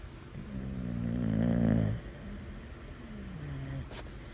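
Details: A sleeping Boxer dog snores: a loud, buzzy, harmonic inhaled snore swells for about a second and a half, then fades into a softer, drawn-out rumbling exhale.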